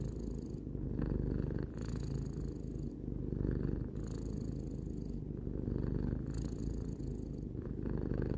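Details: Three-year-old domestic cat purring steadily indoors: a deep, continuous low rumble that swells and eases in alternating breath phases roughly every second and a half, with brief soft gaps between cycles; faint higher hiss rides on each phase.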